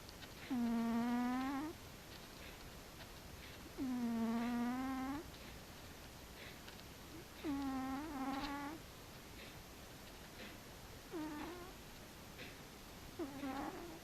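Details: Asleep, the cat Frici snores in a rhythm of five whistled, buzzy tones, each about a second long and slightly rising at the end, spaced roughly three seconds apart, in a quiet room.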